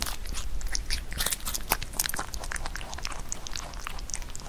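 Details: Pet rabbit biting into Korean melon; sharp juicy crunches, a few louder snaps around the middle, followed by quicker lighter chewing clicks.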